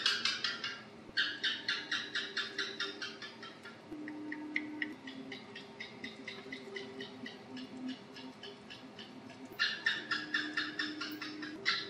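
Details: Asian house gecko on a house wall, hunting at night near lights, opening with a loud burst of quick staccato chirps, then a long faint ticking series and another strong rattling run near the end; low humming tones underneath.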